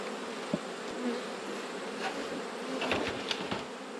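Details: Dense, steady buzzing from a honey bee colony opened for an autumn hive check, a continuous broad drone with faint scattered clicks and no voices.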